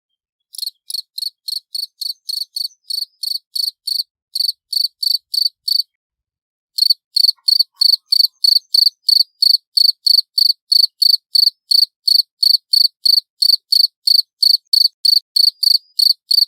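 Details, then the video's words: Cricket chirping loud and clear, used as a lure recording; high, pulsed trilling chirps repeated about three times a second, with a short pause near two seconds of silence before resuming steadily, clean background. "Suara Jangkrik Jernih Keras"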